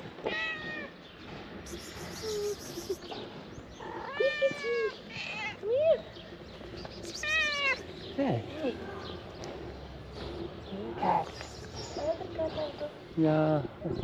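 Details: Stray cats emerging from green grass and approaching the person who feeds them: several drawn-out, rising-then-falling meows spaced a few seconds apart, with a man's voice speaking between them and some outdoor background noise.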